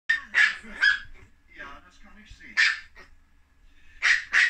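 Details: Chihuahua puppies kept at home, giving a series of sharp, high yelping barks in quick bursts of two or three, with short pauses between bursts and a low murmur of background noise.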